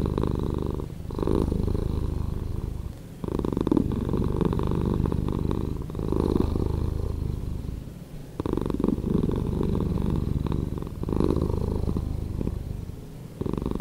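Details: A house cat's purr, edited slower, heard as a long low rumbling drone that swells and fades in repeated cycles of roughly two to three seconds, with brief quieter gaps between phases.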